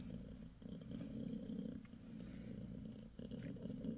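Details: Mother cat Bassy, six days after delivering five kittens, purrs in a low pulsing rumble throughout, briefly dipping twice.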